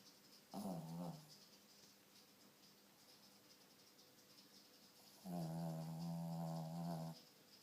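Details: Pet dog snoring in its sleep, said to have sleep apnea; two rough, droning snores, a short one near the start and a longer one of about two seconds near the end, over faint room hiss.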